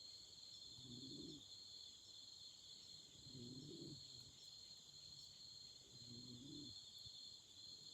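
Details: Continuous high-pitched trilling of autumn insects on a night beside a campfire, overlaid by three low, rounded hooting notes spaced about two and a half seconds apart.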